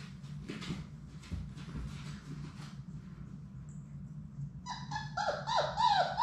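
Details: Six Labrador Retriever puppies from Sadie's litter play together in their indoor puppy play room. Soft scuffling and pawing come first, then a quick run of high, harmonic yips in the last second and a half, rising and falling in pitch.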